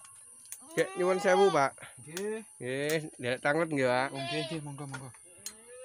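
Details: Kacang goats, small goats in a remote breeding pen, bleat repeatedly: tremulous, nasal, wavering calls that run almost continuously and overlap one another, with a man talking in the background.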